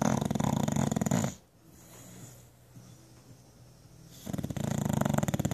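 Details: Jenson, a pet bulldog, snoring indoors on a lazy Sunday: a loud rattling snore at the start, a quiet gap with soft breathing, then another long rumbling snore.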